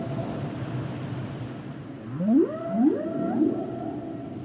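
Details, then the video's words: Humpback whale song phrase: three swooping upsweeps in quick succession, each rising and levelling into a tonal moan, after two seconds of low ocean hiss. "Sounds and Songs Of The Humpback Whales"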